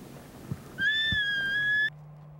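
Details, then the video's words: High, pure whistled note from a bull elk during mating season, held steady for about one second with a fainter overtone above, then cut off abruptly; low hum underneath. "Bugles, Barks, Grunts and More"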